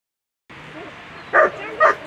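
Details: German Shepherd at a world championship agility competition giving two short, sharp barks about half a second apart over a steady murmur of crowd noise.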